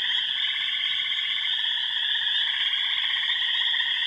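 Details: Dense amphibian chorus recorded at remote ponds on Upper Michigan's Yellow Dog Plains, home to wood frogs, spring peepers, green frogs, gray tree frogs and toads. Shrill high notes sit above rippling, fast-pulsed trills in a continuous, even roar.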